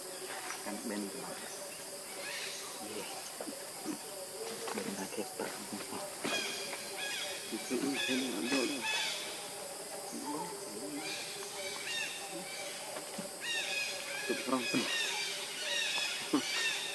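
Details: Baby monkey named Leo crying to beg its mother for milk, hungry; repeated high, arched, wavering cries in bursts of about a second, rising then falling, over a steady hiss with scattered clicks.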